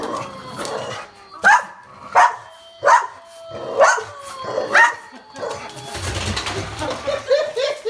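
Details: A Boston Terrier gives a series of sharp, high barks, about one every second, at a wolf Halloween decoration.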